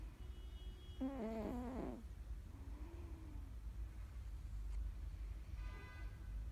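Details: Napping house cat named Mr Balls, down under, snoring: one wavering, harmonic nasal squeal lasting about a second, then a softer low drawn-out tone near three seconds, all over a steady deep rumble.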